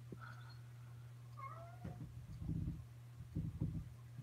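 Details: Kittens indoors at the Alley to Attic rescue home in Alabama, 28 May 2018: two short, rising-then-falling meows early on, followed by dull thumps and knocks against a door, over a steady low electrical hum.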